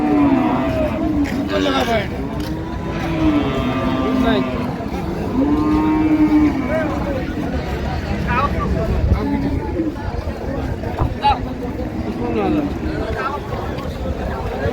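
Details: Cattle, cows and calves, at Ambari haat cattle market in Dinajpur, Bangladesh, on 16/1/26: several long, low, wavering moos repeat through a dense crowd of bargaining voices and market noise.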